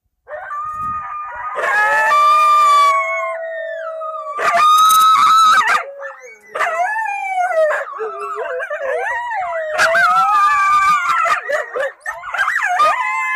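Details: A pack of coyotes (Canis latrans) sings a group howl on New Year's Eve at Cedar Mountain Scientific and Natural Area, Redwood County, Minnesota, on a camera trap: wavering, overlapping wails broken by sharp yips and barks.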